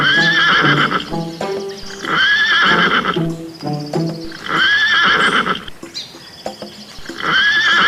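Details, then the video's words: Horse neighing again and again, roughly every two to three seconds: shrill, quavering whinnies that slide downward, with music and soft thumping beats underneath throughout. "Learn Animal Names And Their Funny Sounds, Cow, Deer, Dogs, Donkey, Monkey, Horse"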